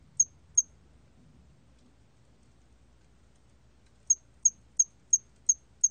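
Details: A hairy cricket gives short, high, pure chirps, two together, then a steady run of six after a pause.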